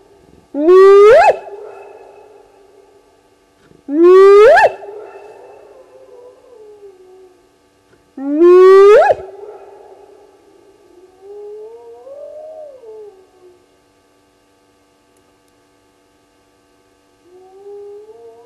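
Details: Spotted hyenas (Crocuta crocuta) call with loud, rising whoops repeated every few seconds. A lone hyena had walked by and paused at Gowrie dam waterhole, Djuma Game Reserve, Sabi Sand, South Africa, at 02:35 on 29 May 2020.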